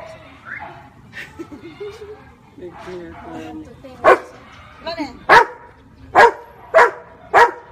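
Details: Marley the Labrador answers a finger-counting cue: soft talking and a woman's rising voice first, then a run of five abrupt barks, the last four close together at a steady pace.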